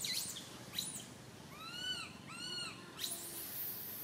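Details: Young monkey Santo crying loudly on a branch while mother Sara cannot look after him; two plaintive arched wails sit between thin, piercing squeals.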